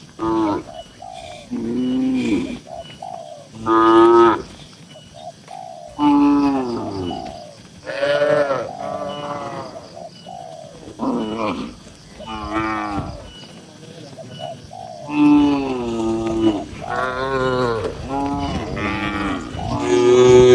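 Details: Tame cattle in a busy farm barn holding dozens of cows, several animals mooing in turn: repeated short and medium harmonic moos, some rising then falling, overlapping through the pen with barn noise.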